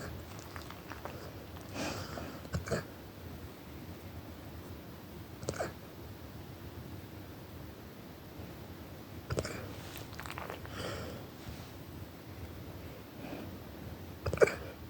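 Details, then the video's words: Brock, an 8-month-old brindle Cane Corso Mastiff, hiccuping at night in a quiet indoor room; soft, abrupt gulping bursts come at uneven intervals, about six in fifteen seconds, over a low hushed background. "Brindle Cane Corso Mastiff Brock with the hiccups"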